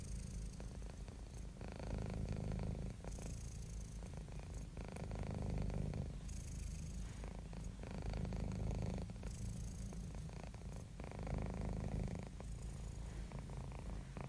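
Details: Cat or kitten purring contentedly, a rich low rumble rising and falling in breath cycles about every one and a half seconds, steady throughout with no other sounds.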